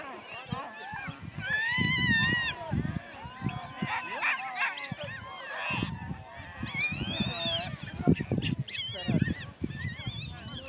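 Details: Geladas in the Simien area give wavering, rising and falling whine-like calls over low grunting bursts.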